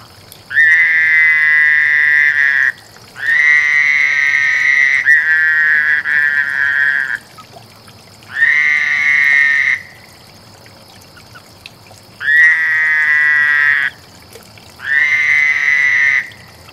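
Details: Frogs calling during mating: long, steady buzzy trills held two to three seconds each, bursts separated by short pauses, six bouts in sequence with a faint constant high tone behind.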